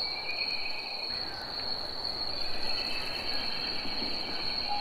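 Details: Summer cicada chorus, a sustained thin high-pitched hum with a slight pulsing texture, set against a low rumbling outdoor ambience.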